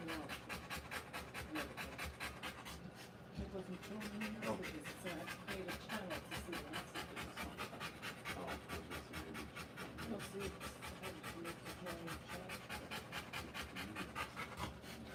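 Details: Birthing Rottweiler panting fast and evenly for fifteen seconds, breathy puffs at roughly two per second, with a brief pause near three seconds; people talk quietly in the background throughout.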